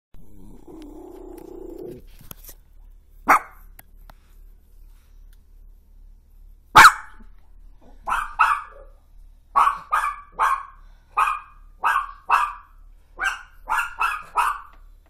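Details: Toy fox terrier woken at 1:26 am by a crash that shook the house from across the street. A low hum opens, then a few sharp clicks. A steady run of short, punchy barks follows, often in pairs, about once a second.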